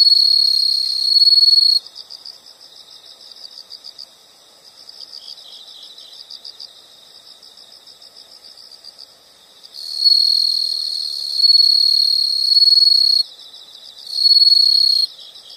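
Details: Insect chorus in natural surroundings, with high, evenly pulsed chirping for several seconds, broken by loud sustained shrill trills at the start and again near the end.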